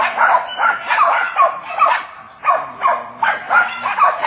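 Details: Jack Russell Terriers working wild boar give rapid, irregular high yapping barks, about one every second, in short bursts.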